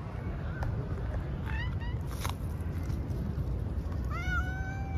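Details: A female house cat gives a short, quiet, upward-bending meow, then a clearer, drawn-out meow that rises and levels off near the end. A steady low rumble runs underneath throughout.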